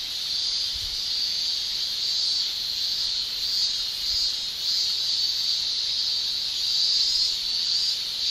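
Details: Japanese cicadas in summer, males producing tymbal song: an unbroken, shrill, high-pitched buzzing drone that holds steady with gentle swells in loudness, a dense chorus with no other clear sounds.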